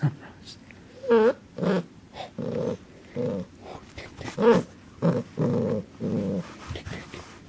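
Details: Linus, a corgi puppy indoors, wanting to attack the camera: short rough growling bursts repeated about every half second, mixed with a couple of higher yelping barks.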